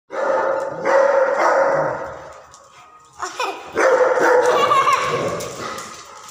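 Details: Saint Bernard and Tibetan mastiffs playing together: loud, rough growling and barking bursts of about two seconds each, separated by a short quieter gap with softer grumbles.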